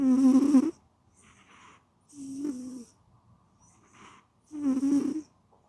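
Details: A cat snores while sleeping. Three rough, rattly snores are spaced about two seconds apart, with faint wheezy breaths in between and no other sounds.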